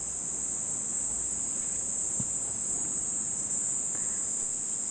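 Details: Cicada heard for the first time this summer at a family home in Nishinomiya, Japan, as the rainy season nears its end; a steady, shrill, high-pitched continuous buzz runs unbroken throughout, with faint low background noise.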